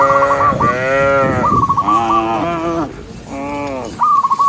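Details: Tame cows in a herd walking along a forest path in search of green grass; long, wavering harmonic moos, three in a row with short gaps, over bursts of high, rapid chirping notes.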